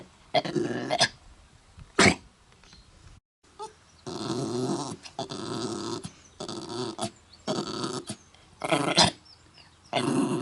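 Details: Mutley, a pet dog at Bredagh, Carrigallen, County Leitrim, coughs badly while trying to sing on 27 August 2016: hacking coughs, then a run of raspy, harsh howl-like phrases with short pauses and further sharp coughs.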